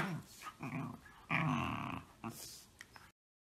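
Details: Shiba Inu giving grumbling growls and whiny yips, a longer sustained growl in the middle, mixed with soft voices and handling noises before the sound cuts off.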